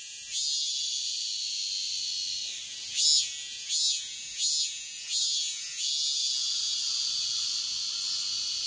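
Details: Cicadas singing at dawn in midsummer: a shrill, hissing buzz held without a break, swelling into about five stronger rhythmic pulses in the middle before settling back to a steady drone.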